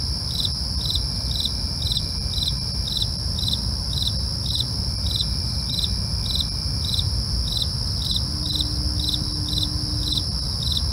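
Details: Steady rhythm of cricket chirps at night, each a brief trilled burst repeating about every half second, above a constant ringing insect chorus and low background noise.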